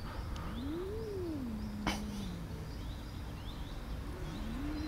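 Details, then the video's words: Angry tortoiseshell cat that bullies the other animals and keeps them from eating, giving a drawn-out meow that rises and falls, then holds low and steady, with a second rising wail at the end; birds chirp faintly in the background. "Tortie cat is angry"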